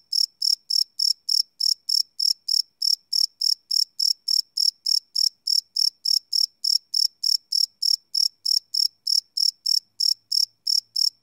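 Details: Crickets at night, recorded live without loops on a Sony PCM D100: high-pitched chirps pulse steadily at about three or four per second in an unbroken, regular train against silence.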